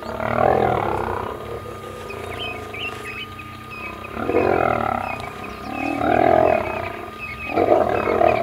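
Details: Kruger National Park lions, young males fighting an old male for their territory; continuous rasping growls and snarls rise and fall in waves, with scattered bird chirps in the background.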